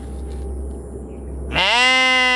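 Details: A single sheep bleat bursts in after a stretch of low hum and quiet background noise, a strong harmonic wavering cry held to the end.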